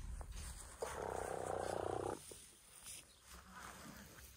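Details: African elephant at an orphanage in the bush, early on a winter morning. One loud, sustained tonal call of about a second and a half, rich in harmonics, then quieter rustling and low background noise.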